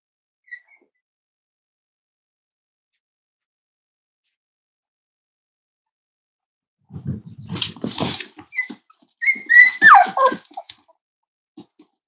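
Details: Cavalier King Charles Spaniel puppy, five weeks old, from Myra and Remy's litter during indoor weight checks; handling rustles and scuffling give way to high squeaky whimpers that rise and slide downward.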